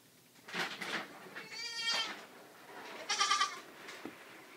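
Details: Two just-rescued baby goats, a black LaMancha and a sable Nubian, being babysat indoors while awaiting bottles of milk; two loud, wavering bleats, the first near two seconds and the second near three, with a woman talking between them.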